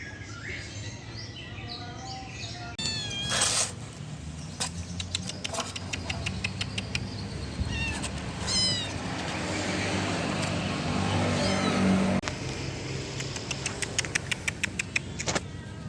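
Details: Rescued kitten giving scattered high mews among sharp clicks and tapping sounds, with a stretch of rushing noise in the middle.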